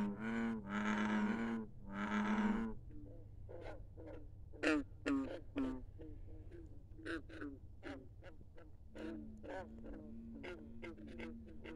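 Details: Frogs singing after dark at a country pond, two long, loud, low humming croaks first, then many brief, plucked-sounding croaks repeated quickly and unevenly by several frogs.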